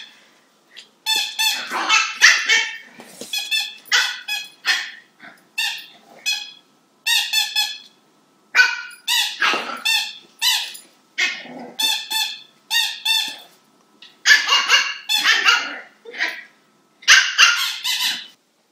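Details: Herky, a female Cavalier King Charles Spaniel puppy, on her first day at her new home in 2014, gives a long run of sharp, high yapping barks in quick bursts with short pauses between.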